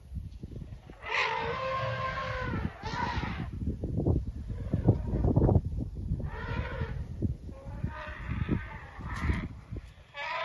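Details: Elephants making noise while running up and about: several drawn-out, harmonic, trumpet-like blasts, each lasting one to two seconds with gaps between them, over continuous low thudding and rumbling from their movement.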